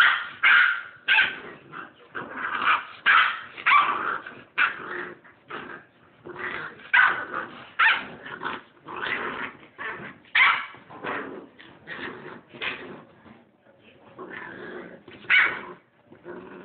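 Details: A Rottweiler puppy about 8 weeks old gives repeated harsh growls and short barks, guarding his hole in the couch from a person.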